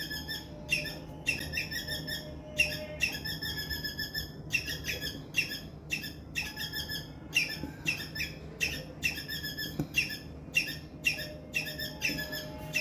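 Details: Loud squirrel distress chirping: harsh, buzzy chirps with a sharp downward flick, repeated in rapid bursts of several notes separated by brief gaps throughout, over a steady low hum.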